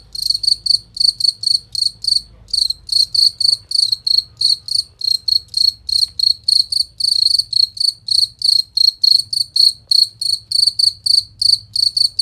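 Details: Master recording of a cricket for training songbirds to compete: sharp, high, crystal-clear chirps repeated quickly and evenly, roughly three each second, with a quiet low hum in the background.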